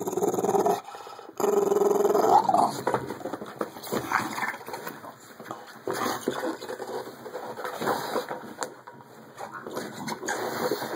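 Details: A female Bulldog growls over her jolly ball while playing, low rumbling growls with snorting breaths, irregular and continuous, a brief higher whine near the start, steady household hum in the background.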